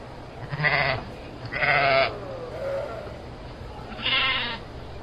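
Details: Bleating domestic sheep: three short, tremulous harmonic bleats, roughly one every second or two, with a faint low hum underneath.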